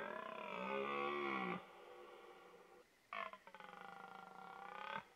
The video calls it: Burlende herten - Red Deer in rut bugling